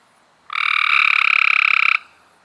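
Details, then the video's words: A single Cope's gray treefrog trill from May 2016: one loud, fast, evenly pulsed buzz lasting about a second and a half, rising abruptly out of quiet and stopping cleanly. "Cope's Grey Tree Frogs"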